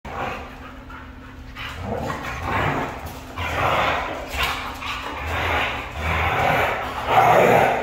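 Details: Red female Siberian husky vocalizing in a string of drawn-out, yowling bursts, roughly one a second, rising and falling in pitch, with a steady low hum underneath.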